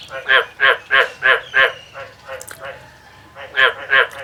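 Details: Field recording of a male frog's song: five strong harsh croaks in quick regular succession, a pause with soft scattered notes, then two more loud croaks.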